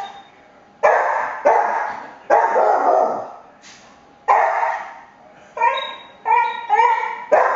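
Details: Cooper the cocker spaniel reacting at home to someone playing with the blinds, giving loud, rough barks in quick succession, later turning into higher, tonal yelping barks with clear harmonics.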